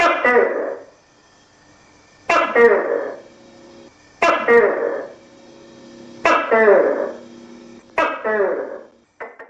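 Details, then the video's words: A tokay gecko calls in the countryside with a run of five abrupt, rich, nasal notes at roughly two-second intervals, each dropping away fast, while a soft continuous hum runs beneath. "เสียงตุ๊กแกร้อง|ตุ้กแก|Gecko Sounds|Gecko Sound Effect|tokay gecko kêu"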